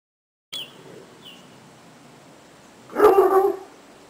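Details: Otterhounds Hope and little Biggles playing in a garden: a faint high yelp near the start, then one loud, deep, rough bark lasting about half a second near the end, with quiet background between.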